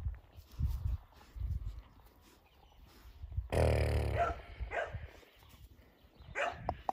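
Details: Tia, a five-month-old female black Labrador Retriever, lets out one short, rough, broadband bark-like burst in the middle, with low thumps and shuffling noises before and after.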